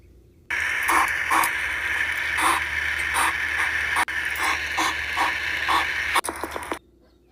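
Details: Hedgehogs out and about looking for food, making rapid, irregular clicking and snuffling pulses, several per second, over a steady hiss that cuts off abruptly near the end.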